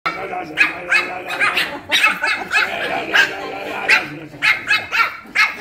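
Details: Pomeranians, a young male and female, brought to a father's home on a weekend afternoon, barking as he returns from exercise: rapid high yappy barks in quick bursts, with a man talking over them.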